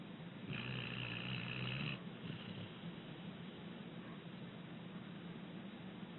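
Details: Abbie, a six-year-old rescued female American Pit Bull Terrier, asleep and snoring gently: one drawn-out, low buzzy snore of about a second and a half, followed by soft, steady breathing under a faint hiss.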